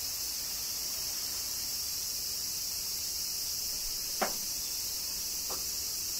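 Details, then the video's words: Cicadas during summer rain in Kyoto, Japan: a dense, unbroken high-pitched buzzing drone holds steady throughout, with two brief sharp taps or drips cutting in near the end. "Cicadas Summer Rain - Zen Sounds of Kyoto, Japan"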